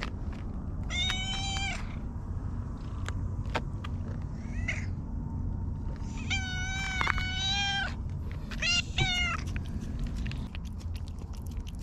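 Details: Park stray cat called Hige Danshaku, a moustached feral cat, giving a run of short harmonic meows, some in quick pairs, amid clicking and rustling noises and low outdoor rumble.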